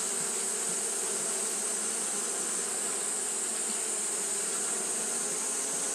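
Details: Hot-day fanning by Japanese honey bees creates a monotonous, uninterrupted buzzing drone, accompanied by a steady high hiss.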